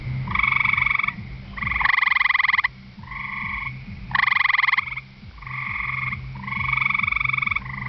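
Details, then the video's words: A gray treefrog on the ground at a pond's edge, on a warm, humid night, gives loud, musical trills, each under a second and repeated in quick succession. "Gray Treefrog calling"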